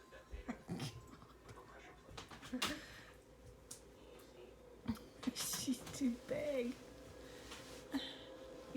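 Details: A female German Shepherd with IVDD, unable to use her legs, gives short, wavering whines and groaning yodels as she 'sings'. She is indoors on a huge dog bed in a small room, and a person chats nearby. August 3rd, 2024.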